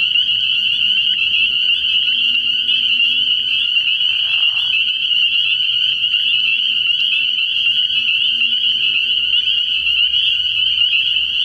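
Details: Night chorus of spring peepers at a frog pond early in the year, a continuous high-pitched ringing of countless overlapping peeps, interrupted briefly by a short lower trill around four seconds.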